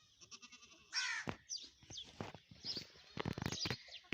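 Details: Young Teddy goat kids: one loud, harsh, harmonic bleat about a second in, followed by shorter clicks and knocks, with high bird chirps throughout.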